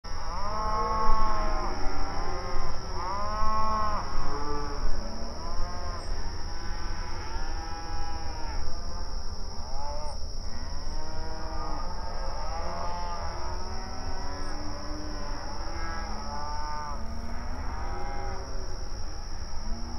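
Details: Open range cattle grazing on outdoor pasture, mooing and calling to one another: many overlapping harmonic moos, some long and wavering, from several animals throughout, over a steady low rumble and a constant high electrical whine.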